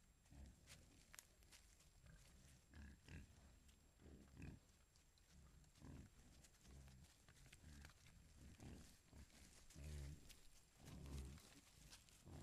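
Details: Wild boar herd with piglets foraging in Foreste Casentinesi National Park, Italy, captured by a trail camera: low, soft grunts come irregularly, nearly one per second, mixed with rustling and snuffling on the ground.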